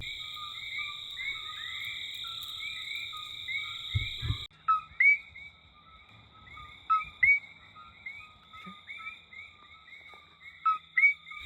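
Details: Coqui frogs calling at night around 8 o'clock in Hawaii Volcanoes National Park, heard while waiting for Kilauea to erupt: a chorus of short rising chirps repeated many times, over a steady high whine, with a few thumps and handling knocks.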